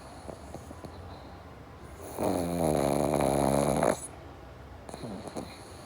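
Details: Sleeping pug, one of a pair named Java and Morgan, gives a long rattling snore of about two seconds with a fluttering, vibrating texture, then quieter breathing and faint snuffles before and after, over a constant high-pitched hum.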